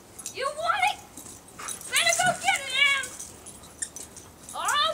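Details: Dog Emi, playing with a new toy that has a fake squirrel tail alongside Jackson, gives wavering, whiny vocal bursts that bend up and down in pitch, in three separate runs, while a person cheers her on in the background.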